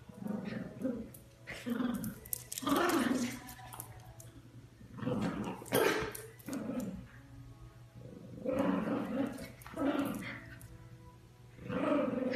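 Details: Chiweenie puppies at play, giving rough little growls and sharp yappy barks in uneven bursts separated by quieter pauses, with thin whines mixed in.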